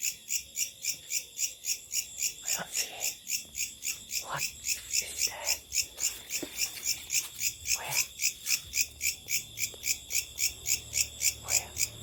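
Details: Locusts at night: a steady, high, buzzy pulsing repeated about three to four times per second, very regular throughout, with brief soft human voices and small knocks underneath.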